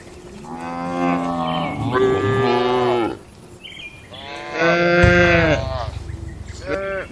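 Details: Domestic cattle in a peaceful barn, eating and gathering: two long, rich moos, each about two seconds, the second one louder and ending in a rough, throaty rumble, with a brief high call between them.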